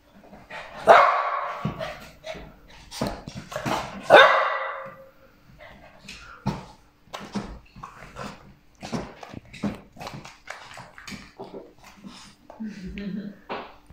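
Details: Shih Tzu, a small breed dog, gives two sharp loud barks early on, followed by a run of softer short yips and scattered clicks and rustling, with a little background speech.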